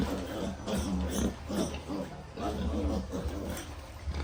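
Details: Young farm piglets make short, nasal grunting oinks, repeated irregularly about every second or two, with a steady low hum behind them.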